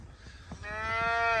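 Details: Black Angus calves in snowy weather on a farm in Greene, New York, with a day-old female calf nearby; one steady, slightly rising moo of almost a second follows soft footsteps and low rumbling.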